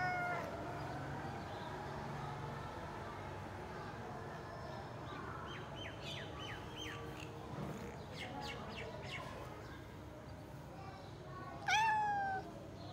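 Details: A cat lets out a single loud, drawn-out meow near the end, its pitch rising then falling, after a stretch of short, quick chirping calls over a low background murmur of voices and room noise.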